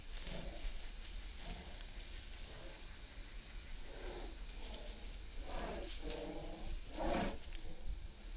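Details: Bull Terrier kept as a pet, indoors, giving low harmonic moaning grumbles, soft at first and then louder drawn-out groans near the end, over a steady low room hum.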